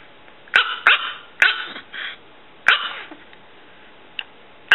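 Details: Miniature chihuahua, a six-year-old female weighing under three pounds, giving sharp, high, yappy barks in quick bursts, several coming in close pairs, then a brief quiet before a last clipped yap.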